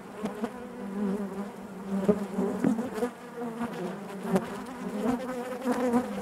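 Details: Steady buzzing of honey bees within the hive, a deep humming tone with rich overtones, punctuated by short crackling clicks and fluctuating loudness.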